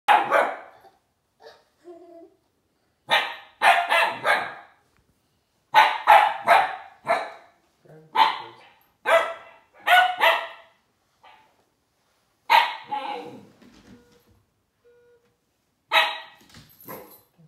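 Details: Siberian Husky puppy named Juno barking at Dash, a toy robot, in short separate bursts spread over the clip with quiet gaps, some barks doubled; faint human speech about driving the robot backwards.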